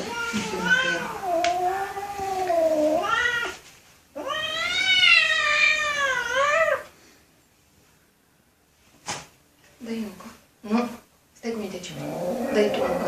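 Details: Kitten giving drawn-out, warbling meows that rise and fall in pitch, followed by a quiet gap and then several short, clipped meows and faint indoor sounds.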